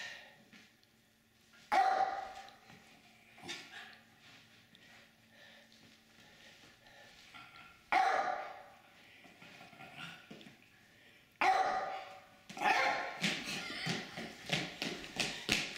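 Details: Playful senior Jack Russell Terrier Jasper, aged over 15½, in suburban St. Louis (Manchester) on 4/2/23: sharp, isolated barks spaced several seconds apart, then a rapid volley of scrabbling and yaps, in a quiet indoor setting.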